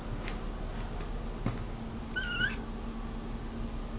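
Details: Single short, bright meow from a cat in a quiet indoor room, preceded by faint clicks and a soft tap, with a low electrical hum throughout.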